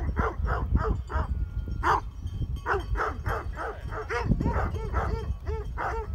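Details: Barking of Great Pyrenees sheep dogs guarding sheep in Heber, Utah, as mountain bikers pass: loud, rapid series of deep, harmonic barks, several dogs overlapping, with wind rumble beneath.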